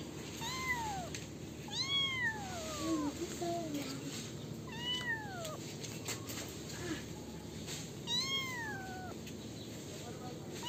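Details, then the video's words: Kittens meowing repeatedly, five or so clear, whiny calls that rise then fall in pitch, spaced a couple of seconds apart, with a faint lower mewing in between and constant background hiss. "Kittens Meowing Sound Effects"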